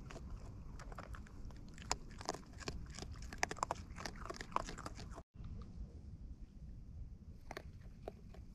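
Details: Wild raccoons eating close up, recorded outdoors: dense bursts of wet crunching and biting clicks, irregular and rapid, with a brief dropout midway before sparser chewing resumes over a low background hiss.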